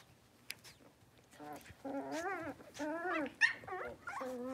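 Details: Playful yips from a litter of five Blenheim Cavalier King Charles Spaniel puppies in an indoor pen, born at New Year; a rapid run of squeaky, wavering barks and whines that rise and fall, growing louder midway.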